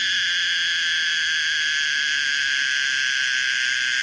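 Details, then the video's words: Pomponia linearis, the common cicada, gives a steady, unbroken buzzing drone, even and loud throughout, its layered tones ringing from mid to very high pitch with no pauses. "the weird sound of the common cicada pomponia linearis"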